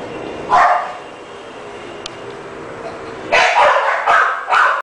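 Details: French Bulldog gives one short rough bark, falls silent for over two seconds, then lets out a fast burst of three or four harsh barks close together.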